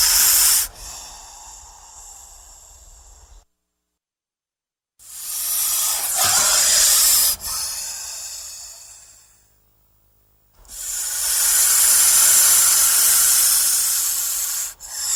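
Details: Frightened or threatened snake producing repeated hisses: a quiet trailing hiss, a silent gap, then two loud breathy bursts separated by pauses, each airy and high-pitched.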